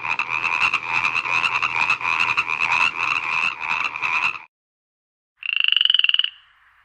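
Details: Frog in a marang tree at night gives a fast, rough rattling stream of croaks for over four seconds, then after a pause one short, bright, buzzy croak.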